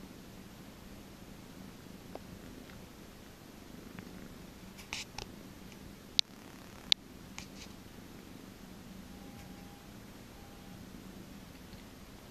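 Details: A cat getting a massage keeps up a soft, low, unbroken purr, with a few light taps and two sharp clicks partway through.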